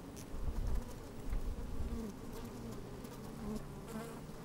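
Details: Busy honey bees in an open hive on a sunny, slightly windy day: a low buzzing drone, with bumps of wind or handling rumble early on and small crackles of bees crawling.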